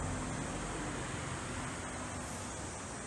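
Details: Steady broadband rumble like traffic or surf fills the recording, with no clear animal call standing out.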